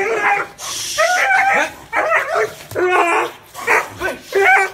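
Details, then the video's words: Dog barking in a deep, warm voice: short harmonic barks, some with a whining edge, come in quick bursts roughly every half second to second, with brief gaps between them and no other clear sounds. "Tiếng chó sủa kinh hoàng, trầm, hay và ấm - Tiếng chó kêu"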